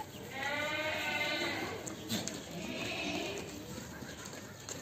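A Beetal goat gives two long, quavering bleats, each lasting about a second, with a person talking nearby.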